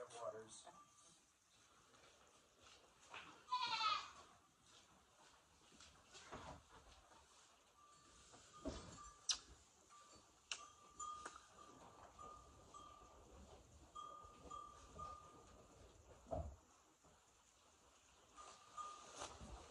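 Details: Goat in a barn at night during a snowstorm, calling at evening chores while the herd waits for grain; one wavering, harmonic bleat early on, then quiet rustling, clinks and a faint steady tone.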